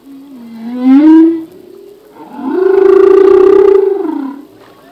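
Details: Song of a male humpback whale in the ocean: a wavering moan that climbs and peaks after one second, followed by a long, rich, steady harmonic wail of about two seconds that bends down at its end.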